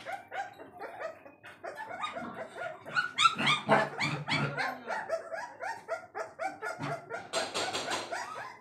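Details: Several Saint Bernard puppies at a pet shop in Azamgarh, Uttar Pradesh, giving a busy mix of high yips, whines and short barks overlapping rapidly, with a harsh noisy burst near the end.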